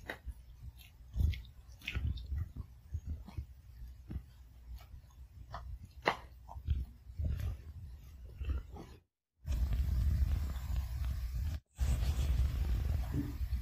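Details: Sugar, a Pomeranian, eats her food indoors, chewing each kibble piece thoroughly one at a time. Irregular soft crunches and clicks come quickly, then a steady low rumbling noise takes over in the later part.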